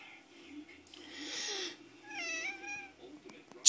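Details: Domestic cat that dislikes sneezes gives a rising then falling, tonal meow with clear harmonics after a brief breathy burst, over a low steady hum.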